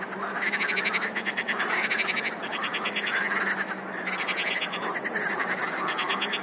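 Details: Chorus of many frogs calling together: dense overlapping rapid pulsed croaks forming a continuous rattling din with bursts of quick trills, steady and loud throughout.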